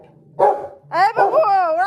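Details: One deep bark from a Rottweiler reacting to street dogs on the road is followed by a drawn-out, wavering whine.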